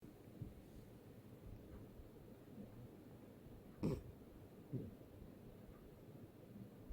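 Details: Sleeping cat having a nightmare gives a sharp, noisy snort near the middle, then a softer second snort under a second later, against a low steady room hum with faint breathing.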